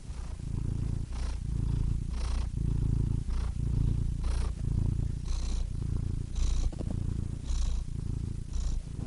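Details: Purring cat, a deep buzzing rumble pulsing roughly once a second, each exhale steady and each inhale marked by a short breathy whoosh.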